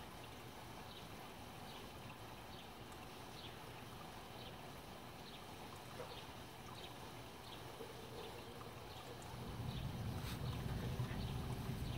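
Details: Soft, hissy background with faint scattered ticks, then a low rumble swelling after about nine seconds; no animal voice heard.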